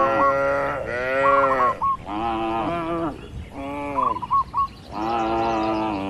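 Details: Tame cattle walking and grazing in a spacious rural field. Steady sequence of full, harmonic moos roughly every second, some slightly rising, with light bird chirps between them.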